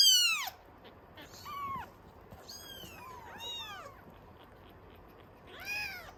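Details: Kittens of the Norwegian Forest Cat breed fussing for milk at a cattery café: a sharp falling cry opens, then scattered thin, arched mews from several kittens, quieter in the middle, one clear meow near the end.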